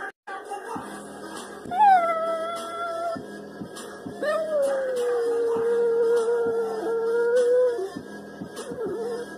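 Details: A female Chihuahua Jack Russell Terrier mix howls along to her favourite pop song, Turn Down For What, long wavering tones sliding slowly downward over the beat; howl.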